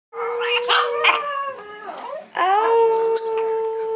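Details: Pet female Chihuahua, seven years old, 'singing' with her two Chihuahua sisters indoors; drawn-out, wavering howls with steady tones, breaking and restarting midway, several voices overlapping.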